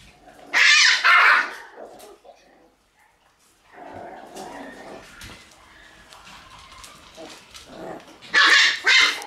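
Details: Shiba Inu puppies in a kennel room on 28 August: sharp, high yapping bursts at the start and again near the end, with softer whines and rustling in between.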